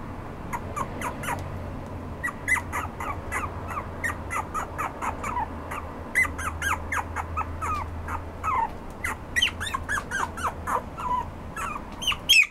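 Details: Red-coated Toy Poodle in a small room, producing a rapid series of high, squeaky yips and whines, several per second, some sliding downward, continuing almost without pause over a faint low hum.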